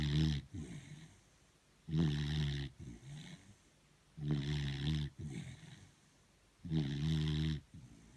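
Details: Sleeping beagle, tired out, snoring indoors: four loud, deep rasping snores about every two and a half seconds, each followed by a shorter, softer exhale.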